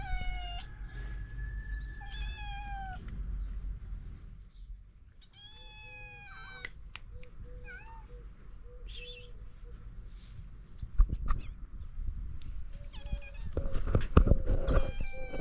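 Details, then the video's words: Stray cats in Morocco greet a person each morning while seeking food; several drawn-out meows with clear harmonics, some rising then falling, plus short repeated mews and clattering noises toward the end. "Street Cats Welcome Me with Love, Seeking Food and Care Every Morning"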